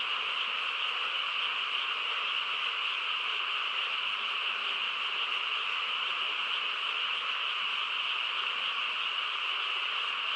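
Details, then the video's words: Frogs calling together through a quiet countryside night, an unbroken, buzzy, even chorus of many overlapping voices, constant pitch bands and loudness across ten seconds, no other sounds. "고요한 시골 밤에 개구리 합창 소리"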